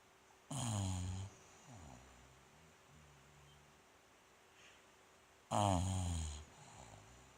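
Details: Sleeping Bulldog Rikyu, 29 November 2016. Two coarse, low snorts five seconds apart, each under a second long, with softer wheezy breaths fading in between.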